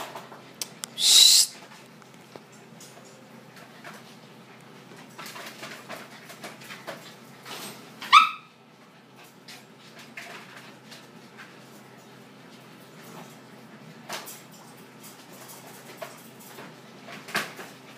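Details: A Siberian husky at play at 3 AM gives a sharp, noisy burst and later a brief rising-and-falling yip amid quiet clicks.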